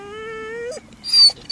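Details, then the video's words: Seven-month-old Chocolate Labrador puppy crying at a graveyard: a single sustained, steady whining wail lasting under a second with a brief upward flick at the end, followed by faint shuffling and a short rustle. "Chocolate Labrador Puppy crying at the graveyard"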